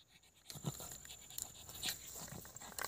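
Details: Pug dog playing outdoors, breathing in short snuffling, panting bursts, with a few sharp clicks and scuffing noises around it.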